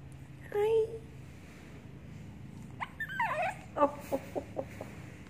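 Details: A Shih Tzu puppy fighting his blanket gives a short, high whine, then a quick string of falling yips.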